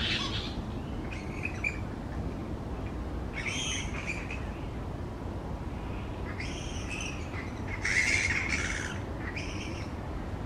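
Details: Grey-headed flying foxes, many fruit bats hanging in a large colony on tree branches, give scattered harsh screeching bursts in clusters, loudest around eight seconds, separated by short pauses over continuous low background noise.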